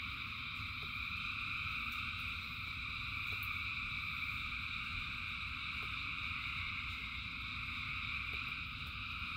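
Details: Thousands of frogs singing in rain form a dense, unbroken chorus of layered high trilling bands, steady throughout, over a low rumbling wash of rainfall with occasional drip ticks.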